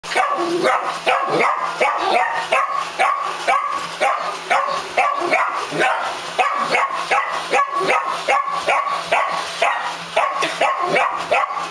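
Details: Rufus, a miniature dachshund who does not like the Roomba, barking rapidly and continuously at about two to three barks per second over a steady mechanical hum from the robot vacuum.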